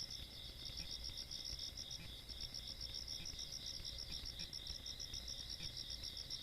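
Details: Insects calling on a countryside night, 17 August 2022: a continuous chorus of high, shrill pulsed trills in two overlapping bands, steady throughout, over a faint low rumble.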